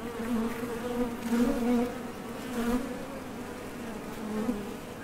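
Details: At the entrance of a Top Bar Hive, honey bees heading out for nectar or landing produce a low, layered wing-muscle drone, rising briefly in loudness at intervals as individuals approach.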